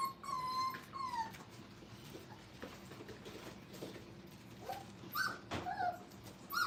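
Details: Five-week-old Brittany puppies playing indoors at a training kennel; a high whimpering whine opens the clip, slides downward and repeats, with further short yips near the end over a low background hum.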